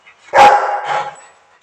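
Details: Rocky, a Rottweiler on Koh Samui, Thailand, gives a deep, harsh aggressive bark that breaks into a rough second burst.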